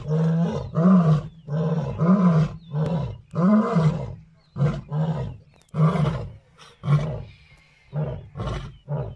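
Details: Lions roaring in a rapid series of about a dozen rough, deep bursts, each under a second long with short gaps, some swelling and falling in pitch, loud and close throughout.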